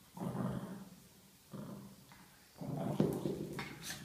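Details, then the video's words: A Chihuahua playing with a ball growls in low, rumbling bursts, each lasting about a second with short pauses between. "Chihuahua spielt mit dem Ball und knurrt dazu"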